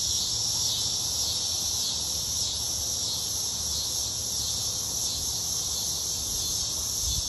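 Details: Summer chorus of cicadas, a continuous piercing high-pitched drone that never pauses, slightly shimmering in texture, over soft low background noise.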